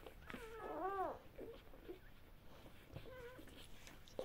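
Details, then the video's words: Great Pyrenees x Bernese Mountain Dog mix, Great Pyrenees mother and Bernese Mountain Dog father, at feeding time: one loud, high, arching whine with strong overtones, then softer short whines and a brief later whimper, in a quiet indoor space. "fedding time (Great Pyrenees (mother) Bernese mountain dog (father). (Mix )"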